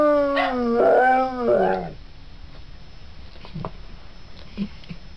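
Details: Three-legged pet dog howling along to a recording of another three-legged dog singing; a drawn-out, wavering howl with rising and falling bends for about two seconds, then quieter faint yips and room noise.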